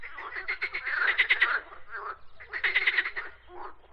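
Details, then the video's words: Two loud bursts of croaking from frogs, each a fast raspy rattle of pulses about a second long, separated by quieter overlapping croaks. "Frogs Croaking Sounds"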